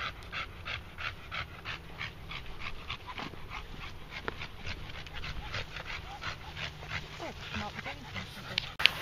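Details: A red Staffordshire Bull Terrier pants rapidly and steadily after a short walk around a field, breaths evenly spaced about four per second, with a low background rumble and a brief voice at the end.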